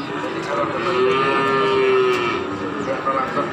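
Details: Cattle at a busy livestock market in Pati, 7 April 2020: one long, level, low moo held for about a second, with fainter lowing around it and constant crowd voices in the background.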